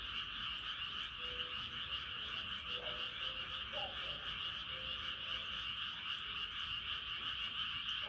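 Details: Frogs crying at night beneath the rising moon: an unbroken high trilling chorus, with scattered faint low croaks and short drawn notes drifting in and out.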